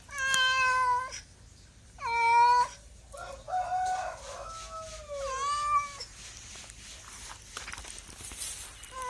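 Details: A cat meows several times: two short clear meows, then a rougher, wavering stretch sliding into a longer meow, with faint further calls and noise at the end.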